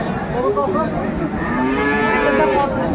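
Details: Friesian bull calves at a cattle market in Khulna, Bangladesh; a drawn-out lowing moo with layered harmonics, rising then falling in pitch, amid crowd chatter and people bargaining.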